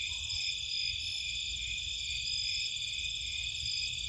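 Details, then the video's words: Nighttime crickets and other insects recorded in Cape Cod marshland, a dense, steady high-pitched trilling chorus that runs without pause, layered over a low constant hum. "Nighttime Cricket Sounds"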